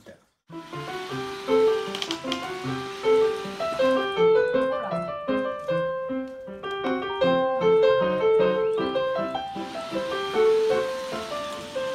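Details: Light piano music plays a bouncing melody of repeated notes throughout, with no animal voice.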